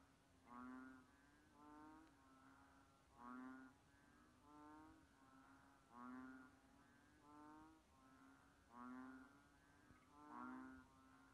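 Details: Banded bullfrog calls repeated steadily: short, low, nasal bleating notes, each about half a second long and rich in overtones, coming roughly every 1.3 seconds over a hissing background.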